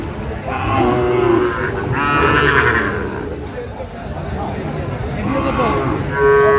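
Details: Sahiwal bull cattle bought by a farmer from Natore, 2 February 2025: drawn-out, harmonic moos rising and falling, with human voices talking nearby and a busy background murmur.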